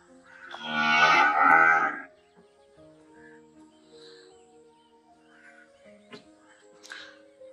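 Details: Cow giving one loud, drawn-out moo of about a second, rich and harmonic, swelling and then fading; faint scattered calls and background sounds follow in the quiet after it.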